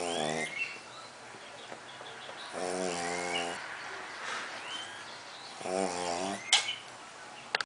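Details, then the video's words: Colt, a pet pug, snoring heavily while asleep: three long rasping, buzzy inhalations with a stacked harmonic tone, each lasting under a second and spaced about three seconds apart, with quieter wheezing whistles in between. "Pug Roncando Snoring (colt roncando)"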